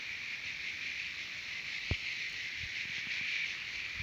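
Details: Continuous shrill chorus of singing cicadas, Terek-Sai, Jalal-Abad, Kyrgyzstan; the high buzzing never breaks, swelling gently, while one sharp click cuts through near the middle and faint low rustles sit underneath.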